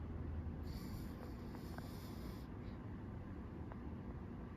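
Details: A pug asleep in the morning snores with a deep, steady rumble, low and breathy throughout.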